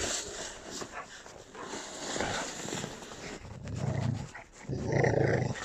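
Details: Pet puppies, with Sharky, Angel and Holly named, play-fighting: low rumbling growls in two sustained bursts of about a second each near the end, over scuffling and rustling noise.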